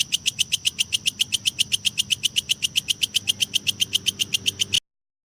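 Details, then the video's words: Kecek grasshopper calling, recorded as training material for lovebirds: a rapid, very regular train of sharp, high, dry chirps, about four a second, steady in loudness until it stops abruptly, over a faint low hum. "suara belalang kecek"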